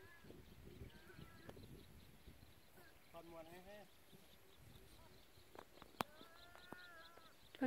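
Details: Sheep give short, quavering bleats at Huay Ling Jone reservoir in Thailand in cool weather and soft sunlight, with goats and cows nearby, while a man talks over an outdoor hum.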